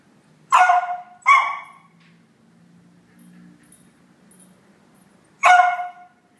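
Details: Pet dog Laika, upset that Phoebe has her favourite toy, lets out two quick barks in a row, then a low murmur, then one more loud bark.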